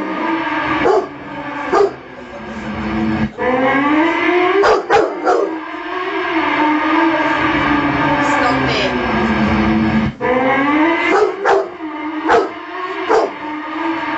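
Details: Domestic Rottweiler reacting to a motorbike with drawn-out howls that rise and dip in pitch, interrupted by several quick yelps, while engine noise hums steadily in the background.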